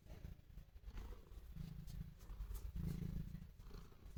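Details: Domestic cat purring while showing affection to its owner, a low rumbling throat sound pulsing steadily about four times a second, with louder swells near the middle and end.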